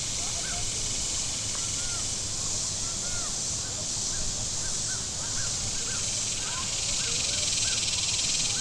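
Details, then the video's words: Shoreline cicadas at Table Rock Lake in southern Missouri on a hot Saturday give an unbroken, sizzling high-pitched buzz, while boats rumble low and small birds call in quick, looping chirps throughout. "Boating Lake Sounds and Cicadas"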